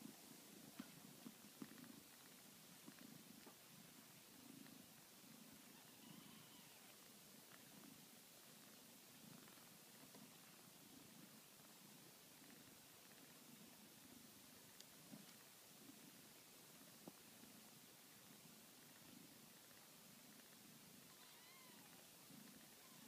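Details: Domestic kittens purring while nursing from their mother: a soft, steady low rumble pulsing in regular bursts about twice a second throughout, with faint high squeaks and small clicks over a quiet background hiss.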